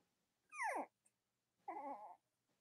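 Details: Cavalier King Charles Spaniel puppies indoors on a chilly autumn morning, with their mother nearby: two harmonic whimpers, the first sliding downward, the second wavering, separated by about a second of quiet.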